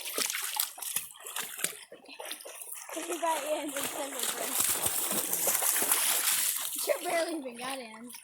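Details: Hound puppies and another dog, playing in water and barking at a backhoe, give wavering, sliding howls over loud splashing water.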